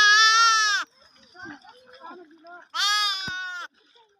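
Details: Lamb bleating among a group of sheep and lambs meeting, with lambs drinking milk and bells described around them: two loud, richly harmonic bleats of under a second each, about two seconds apart, with faint soft noises between them.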